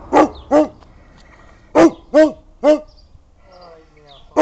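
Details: Old Kuvasz, a Hungarian dog breed, barking only as a warning and not biting. Deep, resonant barks fall mostly in pairs, six barks in all, with short quiet gaps between the pairs.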